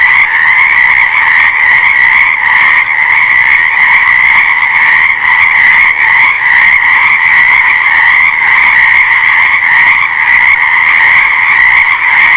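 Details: A steady wall of frog calls, countless overlapping croaks merging into an even, buzzing two-toned hum with slight rhythmic flicker.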